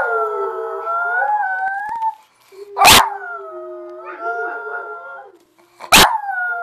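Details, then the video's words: Abby, a dog, howling along with another dog: long tonal howls with stacked harmonics, sliding and wavering in pitch, overlapping voices, cut by sharp loud barks or clicks near the third and sixth seconds. "Abby howling along with another dog"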